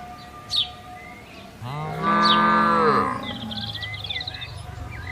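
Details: Herded cattle in a green field; one drawn-out moo rising and holding for over a second before dropping, amid chirping birds.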